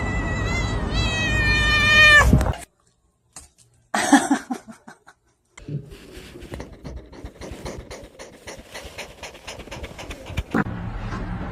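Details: Cat meowing in a loud, sustained, harmonic wail that rises in strength over two seconds, then silence, a short burst of noise and steady background rustling.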